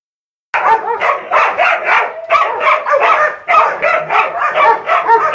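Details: Two six-month-old female Dobermanns give rapid, overlapping barks and yips in quick bursts.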